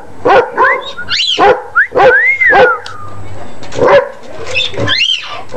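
A basset hound gives a run of deep, rough barks broken by a brief rising-and-falling whine.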